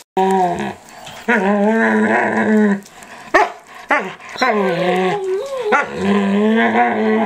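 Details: Eight-month-old standard poodle Micah at home, chewing playfully on the older poodle's ears and face, producing long, droning, harmonic whine-growls that bend up and down, three drawn-out bursts with short gaps.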